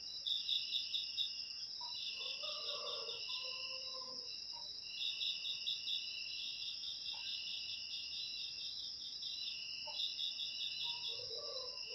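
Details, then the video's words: Crickets played to drive rats out of homes naturally: steady high ringing trill with rapid pulsed chirps in short bursts, alongside fainter lower warbling calls from other creatures in the background. "Suara Jangkrik Untuk Mengusir Tikus"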